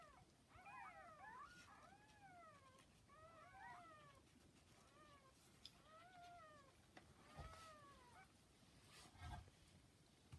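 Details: Newborn kittens about 40 hours old with their mother cat Hana, giving repeated high arched mews, several overlapping, rising then falling, over a low background hiss.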